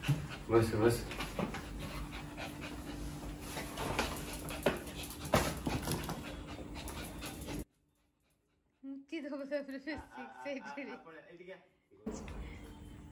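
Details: Maltese puppy named Cherry, excited at meeting her returning dad after ten days away, panting and snuffling amid human talk, then a brief high, wavering whine in the quieter second half.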